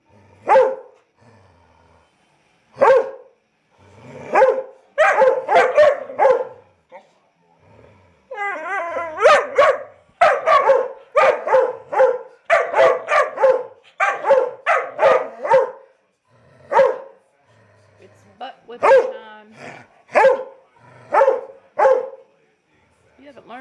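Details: A vocal 19-week-old Lab–Weimaraner cross puppy in a Chattanooga, Tennessee rescue gives repeated sharp barks, sometimes singly and sometimes in rapid runs, with silent gaps between. A brief stretch of human speech is heard partway through.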